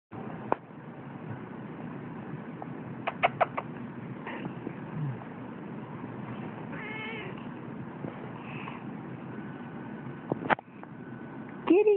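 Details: Seal point Siamese cat giving a couple of short, faint harmonic meows midway through, over a steady low background hum with scattered clicks and knocks.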